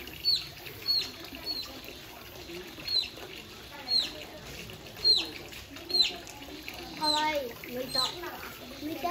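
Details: Nana, a female Asian small-clawed otter born 24 November 2017, rolls and grooms in an outdoor zoo enclosure in Saitama, Japan, during a relaxed morning on 11 September 2022. She gives thin, high, downslurred chirps in quick bursts over a soft hiss, with faint voices.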